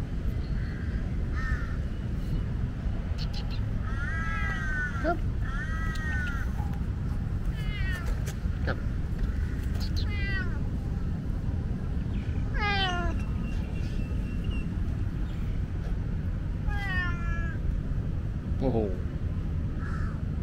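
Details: Talkative tomcat in Lumpini Park meowing loudly: a run of harmonic meows, some short and level, others long and falling steeply, spaced every few seconds over steady low traffic rumble.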